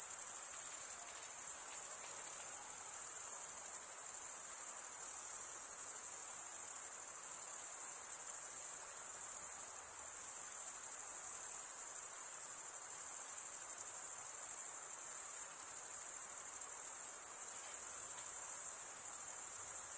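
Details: Male crickets stridulating, rubbing one wing's edge along the toothed vein of the other, make a steady, high-pitched shimmering trill. It runs unbroken with only slight swells in loudness and no other clear sounds.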